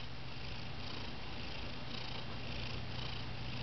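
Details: Male pet cat that has lost his meow, purring: a close, continuous, low rumbling purr that stays steady and unbroken throughout.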